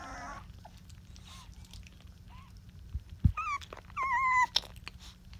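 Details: A Rottweiler puppy from Georgia's litter, twenty days old, lying on someone's cheek, lets out two clear drawn-out whines near the end, the second longer and slightly falling, amid handling clicks and a faint hum.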